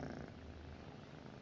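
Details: Cat lying next to its owner at night, giving a continuous low, even purr throughout; calm indoor setting with no other clear sounds.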